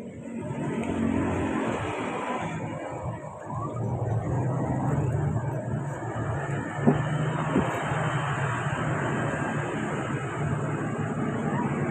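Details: Steady road traffic rumble with passing vehicles and no animal calls.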